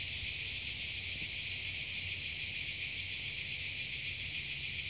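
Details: Forest cicadas in Croatia produce an unbroken, loud, high-pitched shimmering drone, even in intensity from start to finish, with only a faint low rumble beneath.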